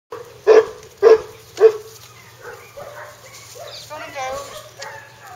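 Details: Hungarian Vizsla puppies giving three sharp, loud yips about half a second apart, followed by quieter whining and human talking in the background.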